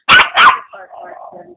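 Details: Maltese-Papillon mix (Papitese) named Putter, a neighbor's very noisy dog, playing with a pug mix; two sharp, high yappy barks in quick succession, then low murmuring human voices.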